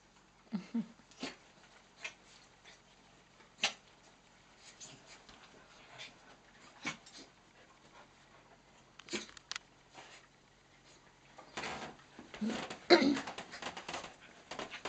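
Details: Four pet dogs playing together indoors on a miniature dachshund's third birthday: two miniature dachshunds, a brown cocker and a blue roan cocker. Scattered scuffling clicks and paw taps, a brief low whine early, then a burst of rough growling play noise near the end.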